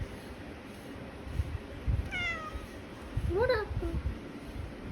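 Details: Pet cat greeting its owner in the morning indoors: a short high falling meow near two seconds, then a rising-falling meow around three and a half seconds, with soft speech from the owner.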